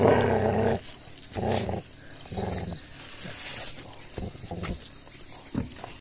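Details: Gaddi dog puppy showing aggression while attacking another dog outdoors: rough, low, harmonic growls in short bursts during the first seconds, followed by quieter scuffling and intermittent snarls.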